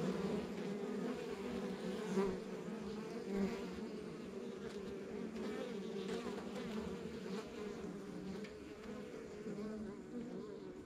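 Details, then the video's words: Continuous droning hum from a backyard beehive of honey bees in a rural setting, many wingbeats blending into low layered tones that rise and fall slightly, with faint soft bumps now and then. "Relax to the Sounds of Our Backyard Buzzing Beehive"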